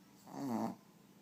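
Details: Pet dog snoring in its sleep, a single short voiced snore that swells, dips slightly in pitch and fades within half a second over a quiet indoor background.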